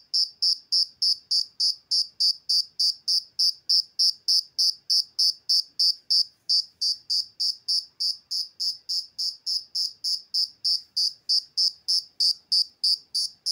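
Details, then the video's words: Insect producing a steady chirping call: clean pulsed chirps repeated roughly three times a second with very even rhythm, bright high pitch with overtones, near silence behind it. "Have you Been wondering how this Insect produces this sound"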